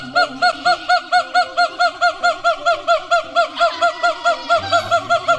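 Siamang calling with a rapid, regular run of loud barking notes, each briefly rising and falling in pitch. The notes come a little over twice per second and keep an even rhythm throughout.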